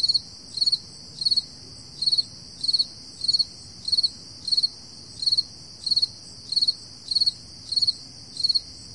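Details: Crickets on an early summer morning at 4 AM in July 2012, giving short pulsed chirps of three or four quick beats, repeated about every 0.7 seconds over a steady high trilling background.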